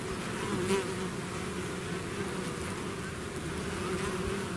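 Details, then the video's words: Swarming bees leaving their hive make a continuous, even buzz, a thick low hum with faint higher whines flickering as individual insects fly near. "bees therapy swarm natural buzzing sound"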